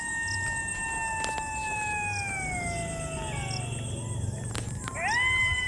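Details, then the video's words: Distant jackals call at dusk in long, drawn-out howls sliding slowly downward, then a fresh howl rising sharply near the end, over steady hiss and low rumble; weather turning, light drizzle, heavy clouds. "দূরে শিয়াল আছে। শিয়াল ডাকছে। তো"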